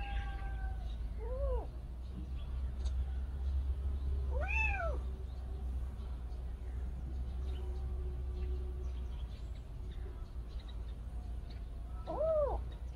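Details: Motherless kitten meowing three times over about thirteen seconds, each call a short arched cry that rises and drops, separated by long quiet gaps over a low steady hum.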